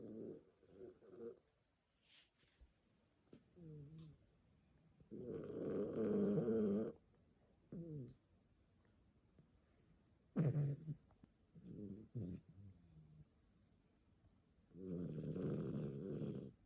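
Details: Fluffy dog snoring loudly in its sleep: long rasping breaths of about two seconds return roughly every nine to ten seconds, with shorter snorts and grunting breaths in between.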